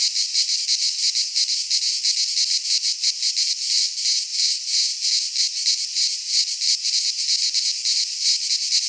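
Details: Greek cicadas in a pine forest at midsummer, their massed song a steady high-pitched rasping drone throbbing in quick uneven beats, several insects layered together without pause.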